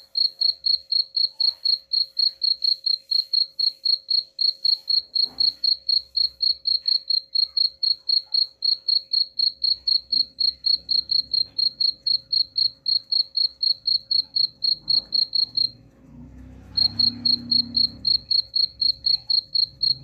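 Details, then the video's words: Long run of sharp cricket chirps, about four per second, for repelling rats; the chirping breaks off briefly near the end amid a soft rumbling noise, then starts again. "suara jangkrik pengusir tikus ampuh"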